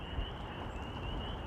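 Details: Spring peepers call in a steady, high-pitched chorus in spring (Easter Sunday) on the Red Trail, Middletown Reservoir Trails, just before a rainstorm with thunder around, over rustling hiking footsteps.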